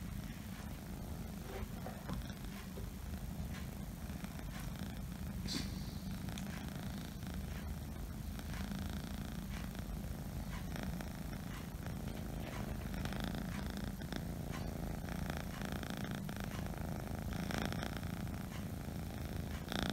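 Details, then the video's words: Scottish Fold kitten purring indoors: a steady, low, rumbling drone that runs unbroken for the whole stretch, with a few faint soft clicks and rustles on top. "My kitten is the purring machine | Scottish Fold"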